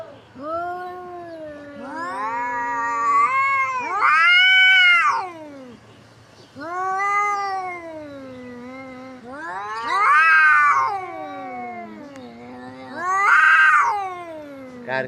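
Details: Two cats fighting. Long, wavering yowls rise and fall in pitch and swell into loud, harsh peaks. Three or four drawn-out howls are separated by brief pauses.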